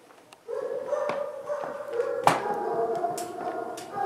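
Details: Twenty-eight-day-old puppies, just woken in their pen before dinner, give a long, steady, tonal whine that rises slightly, broken by a sharp click and overlapping softer whimpers.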